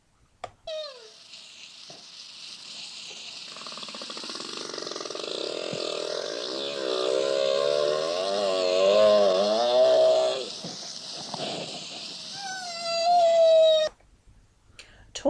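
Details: Whale talking, played as an example of animal communication: a long, wavering moan that swoops up and down over a steady hissing background, ending in a rising whistled tone.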